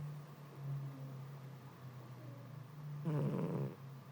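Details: Sleeping house cat worn out by hot weather, snoring: a steady low droning hum throughout, then one louder, rougher rasping snore near the end lasting about half a second.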